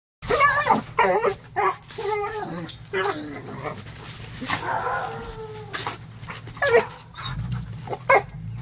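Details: Border Collie attacking a broom, producing wavering whines and growly yelps in bursts, with scraping and rustling noises throughout and a low steady hum underneath.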